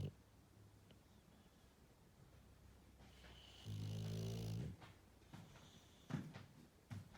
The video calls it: Snoring English Bulldog